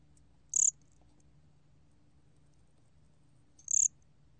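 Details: Two brief piercing chirps about three seconds apart from a gomgwitturami cricket, recorded in 2020 by the National Institute of Biological Resources, with near silence and a soft low hum between them.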